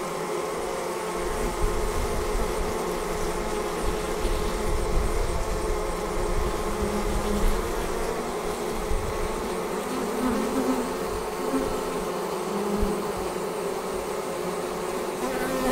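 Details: A departing honey bee swarm gives a steady, rumbling hum of countless wings, with slight rises in loudness and a low background rumble.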